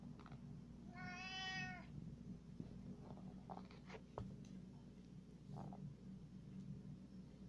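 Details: Male house cat following its owner around, uttering one clear, rich, slightly rising-then-falling meow lasting under a second, followed by soft rustles and light knocks over a steady low hum.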